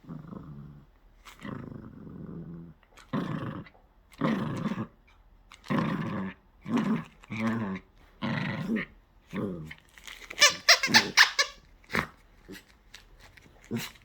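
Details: Poodle, a pet dog, being asked for its paw, answering with a run of growly, grumbling vocal bursts about once a second, then sharper short yips near the end.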